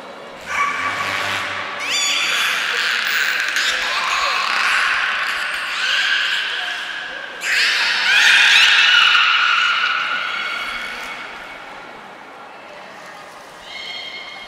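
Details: Beluga named Niko at the Port of Nagoya Public Aquarium during a training session on 25 February 2024, giving a series of high, harmonic squeals and whistles, some gliding upward, with a brief pause before a louder, wavering squeal and a final short chirp.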